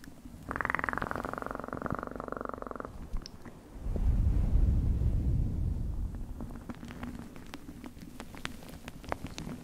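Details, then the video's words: Purring house cat, recorded intimately for ASMR, giving a fast pulsing purr for about two seconds, then a deeper, heavier rumble and fainter purring with light clicking sounds. "Best PURRING sounds"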